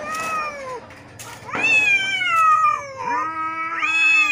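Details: Fighting neighbour cats trade moaning yowls, a falling wail followed by a loud sustained howl that slides downward, then a rising cry, with brief noisy bursts between.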